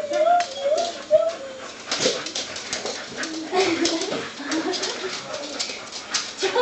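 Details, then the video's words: Excited whining of five Soft Coated Wheaten Terriers doing the Wheaten greeting indoors, thin high squeals at the start followed by scattered yips and whimpers under people's voices. "The Wheaten Greeting"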